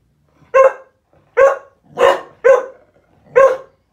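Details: Cocker Spaniel "singing" with five short, tonal, yelping howls, each with a brief rising then falling pitch.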